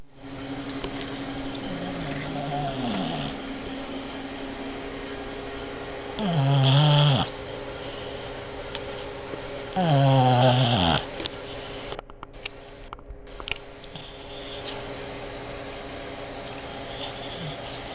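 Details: A female Boston Terrier snores loudly like a man in deep, rasping breaths spaced several seconds apart while sleeping on a bed.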